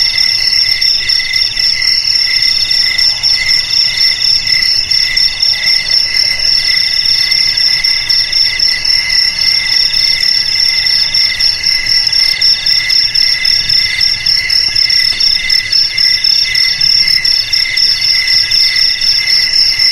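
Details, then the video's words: Cricket song used against rats: dense, rapid, unbroken shrill trilling with fast pulses and a piercing high ringing layer throughout, loud and steady. "Suara JANGKRIK Pengusir TIKUS"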